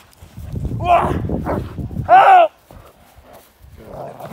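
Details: Barking from a male Cane Corso in London, UK, working through k9 response protection training: a few rough barks, one loud arched bark standing out, then quieter voice-like sounds trailing off.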